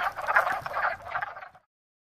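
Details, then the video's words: Male wood frogs emerging from winter in a pond near spring chorus to attract mates, low hoarse clucking croaks overlapping in a steady, duck-like chatter. "A Wood Frog Chorus"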